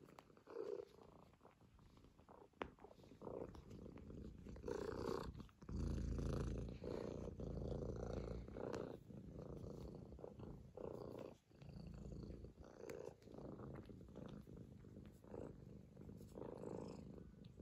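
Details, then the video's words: Kitten Bıdık purring on a lap while kneading, showing affection: a steady low rumbling purr with breathing pulses about four per second, plus soft rustling and small clicks indoors. "This is how my kitten gets on my lap to my make biscuits while purring"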